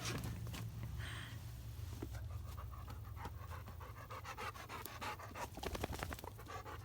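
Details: Excited female Labrador stuck on a pickup truck bed, afraid to jump down: fast, rhythmic, breathy panting that quickens into dense rapid puffs toward the end, over a constant low rumble.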